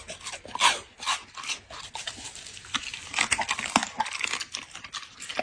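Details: Dog eating, captured as an ASMR recording indoors: crisp, crunchy bites in irregular bursts, with louder crackling snaps near the start and quieter wet chewing between them.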